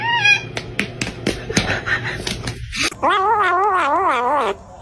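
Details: Kitten meowing and crying: after a stretch of tapping and clicking, one long, loud, wavering cry with a quavering rise-and-fall pitch lasts about a second and a half, then stops.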